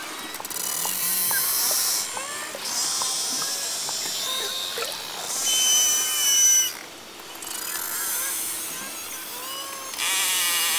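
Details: Beluga whale (Delphinapterus leucas) social communication, mixing buzzy, ratchet-like pulse trains with thin, high whistles, chirps and squeaks, sometimes combining pulses and whistles in one call.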